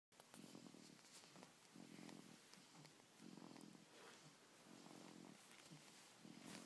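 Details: Dog snoring loudly indoors, its rumble said to resemble a purring cat: low, rough drawn-out breaths in regular pulses roughly every second and a half, over a steady hiss.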